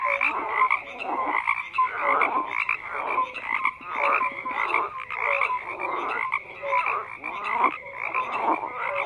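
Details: A dense chorus of croaking frogs: many overlapping callers make rasping bursts that swell and fade roughly every second, with short clear whistled notes mixed in. There are no other clear sounds.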